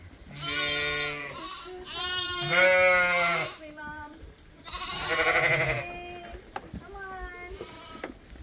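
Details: Several farm lambs being topped up from a hand-made bottle feeder, still on their mothers: loud, wavering harmonic bleats overlapping in quick succession, some long and quavering, with brief pauses between bursts.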